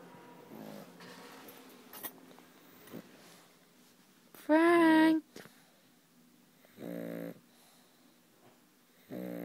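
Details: Frank the pug sleeping indoors, snoring in harmonic, buzzy bursts: a loud rasping snore near the middle and further snores roughly every two seconds, with soft breathing between and faint voices in the room.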